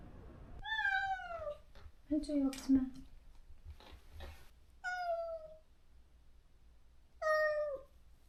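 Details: Neutered stray cat visiting a rural yard, wailing for its separated close companion; long descending meows, a lower rough grumbling cry in the middle and brief knocking sounds, then two more falling meows near the end.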